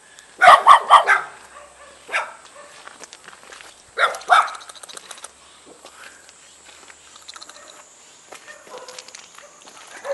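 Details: Barking from a Jindo dog and a spotted Baduk dog welcoming a guest in a mountain-village yard near Jeonju, North Jeolla, Korea: a quick burst of three barks, single barks at two and four seconds, then quiet, faint sounds.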